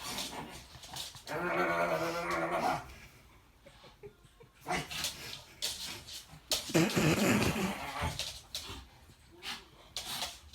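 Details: A pet dog playing with a buzz-cut man, a father who once said he disliked dogs; a drawn-out growling, whining stretch, then bursts of sharp barks and scuffling noises between quieter gaps.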